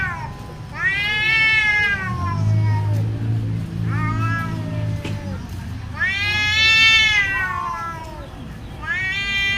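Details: Fierce, scary-sounding cat fight: long wavering yowls rise and fall in pitch, three drawn-out cries with rich harmonics separated by brief pauses, low hum underneath.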